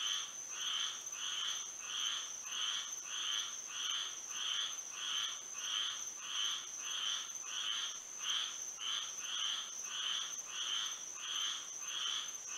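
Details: Night chorus of frogs in Florida by moonlight, a regular train of short buzzy croaks roughly every 0.6 seconds, callers overlapping steadily, over an unbroken high-pitched insect drone.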